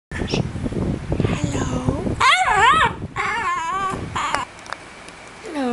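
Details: Pet dog being taught to say hello, producing drawn-out wavering whines and howl-like vocal sounds that rise and fall, with a person speaking and steady fan noise in the background.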